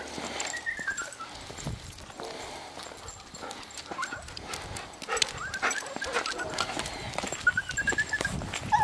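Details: Golden Retriever named Bella, a dog up for adoption, during part of her day; thin, high whining whimpers rise and fall near the start and again near the end, over constant clicking and tapping noises.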